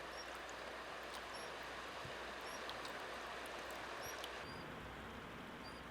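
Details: The youngest Eurasian otter pup, lost from its mother at a passage between reed marsh and stream, gives thin, high whistled cries calling her over rushing water; the mother hears and they reunite.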